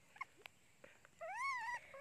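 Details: Pet monkey crying, hungry for its mother: after a few faint clicks, a tonal wail rises and falls over half a second, followed by a shorter cry; soft voices in the background.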